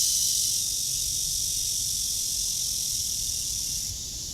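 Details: Cicada on a tree under a blue sky, recorded during a walk on 23 August 2020 at 09:27: a steady, dense, high-pitched shrill buzz that drones without pause and softens slightly near the end.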